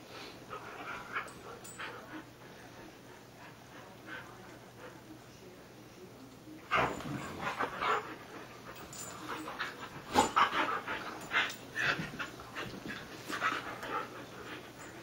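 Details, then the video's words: Husky on a Sunday morning making soft rustling, snuffling noises, quiet at first, then a run of louder breathy bursts and scuffles from about seven seconds on, with a faint steady hum underneath. "Husky rustle"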